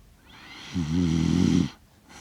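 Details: Kaki-Maru, a six-year-one-month-old Shiba Inu, asleep in Rotterdam, Netherlands, recorded 30 September 2025 on a DJI Mic Mini; one low, rumbling snore lasting about a second with a faint hiss above.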